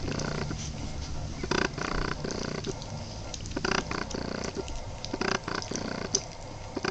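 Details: Growls come from 23-day-old Boston Terrier puppies: a run of short, raspy, grunting pulses repeated irregularly throughout, over a low steady hum.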